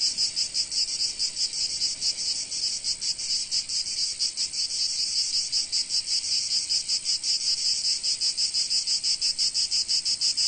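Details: Chorus of cicadas in sunny Provence, a shrill, grating high-pitched drone with fast, uneven pulsing throughout, unbroken and free of other noises.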